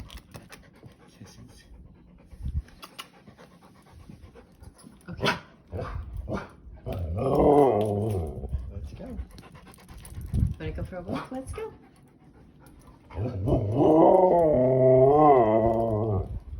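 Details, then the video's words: A male Siberian husky howls with excitement before his once-daily walk, which is signalled by his prong collar. Two long, wavering, warbling howls rise and fall, the second lasting several seconds. Short yelps and panting come between them, and quiet voices are heard. "Howls of Joy! WALK!!!"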